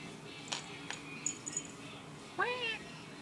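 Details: Indoors, a moody black and white cat utters one rising then falling harmonic meow near the end, preceded by a few sharp clicks and faint high tones.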